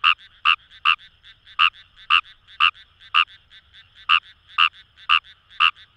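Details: Wild Kawamura's rice frog calling in paddy fields along the Kamo River, Itoshima, Fukuoka, Japan: loud, short, buzzy croaks about twice a second, about twelve in all, with a fainter chorus of other frogs behind.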